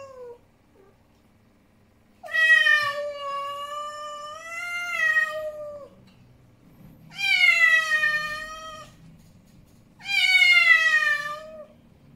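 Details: Male house cat, angry, giving three long drawn-out yowls in a quiet room, each loud, richly harmonic and slightly wavering, lasting about two seconds with pauses of a few seconds between.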